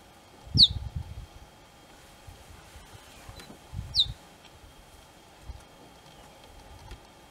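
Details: Cheetah cubs calling their mother: two sharp, high chirps that slide quickly downward, about three and a half seconds apart. Low rumbling and a steady faint hum run underneath.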